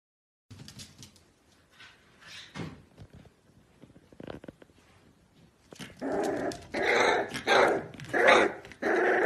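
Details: Pembroke Welsh Corgi puppies: a few faint scattered sounds early on, then a loud run of sharp, ringing barks about every half second through the last few seconds.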